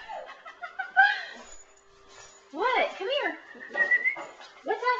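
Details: Saluki vocalising indoors while wanting to go outside; short arched yelping whines in quick clusters, interspersed with a thin steady high whistle-like tone and quieter gaps.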